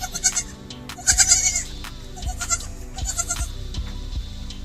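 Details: Goats and baby goats in a village bleat in short, quavering bursts, with some music playing underneath.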